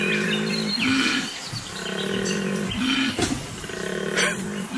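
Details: A koala on a replanted farm near Apollo Bay, Australia, in January 2022 bellows in deep, rasping pulses, alternating snore-like inhalations with droning, belch-like exhalations.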